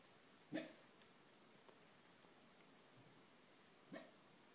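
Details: Schnauzer barking in its sleep while dreaming: two short, muffled woofs about three seconds apart, the second softer, in an otherwise quiet indoor room.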